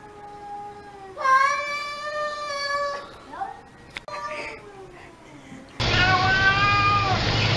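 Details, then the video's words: Domestic cat making a weird, long, steady yowl that bends at the end, followed by softer sliding calls, then a burst of loud noisy sound. "CATS SPEAKING & making wierd noises"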